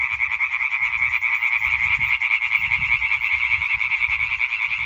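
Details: Chorus of European tree frogs (Hyla arborea) recorded on 20 May 2023: dense, continuous rapid croaking from many frogs blending into a steady rattling wall of sound, with faint low rumbles underneath.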